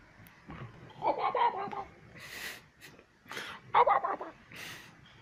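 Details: One-year-old female pet kitten at play, asking for petting and games: two short, rolling, warbled chirps a few seconds apart, interspersed with soft breathy rustling bursts indoors.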